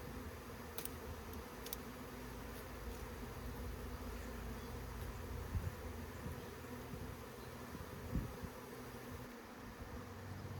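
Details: Honey bees in a swarm, collected by scooping, hum in an even drone that holds steady throughout, with light rustling and occasional soft knocks.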